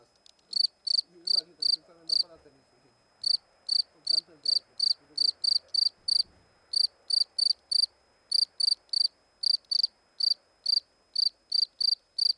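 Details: Cricket out of its burrow next to a stone near the camera; a long series of loud, piercing chirps at a brisk, fairly even pace, with a brief gap early on and a man speaking quietly at the start.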